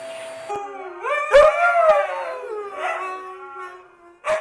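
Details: Pet Siberian Husky howling, excited by a running vacuum cleaner: a rising, wavering, harmonic howl that swells and then slides down, followed by shorter yips, over a steady low drone from the vacuum.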